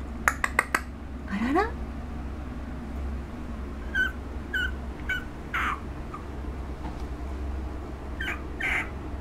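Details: On August 17, a female puppy called Chesha, aged one month, makes a sliding upward squeal and then scattered soft squeaky whimpers, with sharp clicks at the start.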